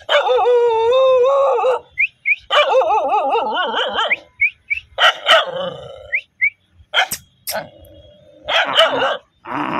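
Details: Dog gives a long wavering, whining howl, then a second quavering howl around four seconds, followed by a scatter of short sharp yelps and barks with brief silent gaps between them.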